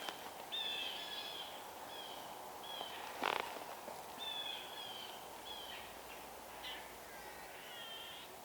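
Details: Squirrels in a northeastern forest near a bog give repeated harsh, chattering alarm calls in short bursts against a steady outdoor hiss, alongside blue jays, possibly at an owl, hawk, coyote or fox.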